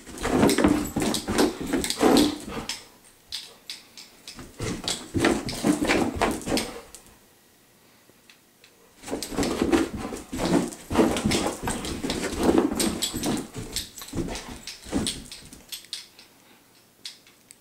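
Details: Household dog going wild after a laser pointer spun around the room indoors; two bouts of fast, rough, broadband bursts, yelps mixed with scuffling, separated by a quiet pause of about two seconds.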